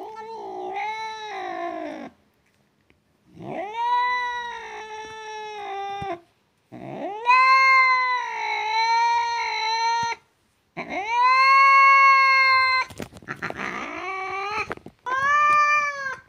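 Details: Domestic cat giving long, drawn-out meows, sounded as a way to attract a pet cat's attention: five or six wailing calls of one to three seconds each, steady and nasal with slight rises and falls, separated by brief silences.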